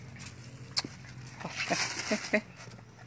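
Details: Cute young puppies giving a few short, high yelps and squeaks, scattered singly over about three seconds against a soft steady background hiss.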